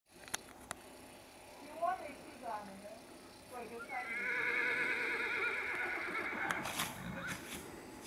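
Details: Purebred Akhal-Teke horse, born and kept in Dubna, Moscow Region, Russia, whinnies: a few short rising squeals, then a long, quavering, high neigh lasting about two and a half seconds, with sharp clicks and clops around it.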